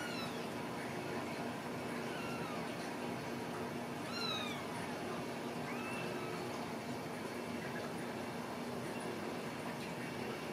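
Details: Ragdoll kittens raised in a home cattery in central Kansas, uncaged; several thin, high meows rise and fall at intervals, some downward-sweeping, over a steady background hum.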